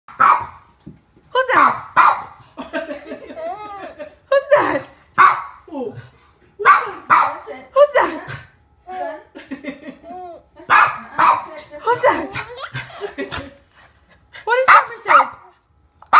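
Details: Pet dog barking in short, sharp bursts scattered through the recording, roughly eight loud barks, while an adult talks in a sing-song voice to a baby between and over them.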